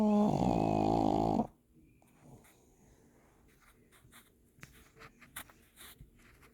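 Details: Pug puppy asleep indoors, snoring: one loud, drawn-out, rasping nasal snore with a low buzzy tone lasting about a second and a half, then near quiet with faint soft clicks and rustles.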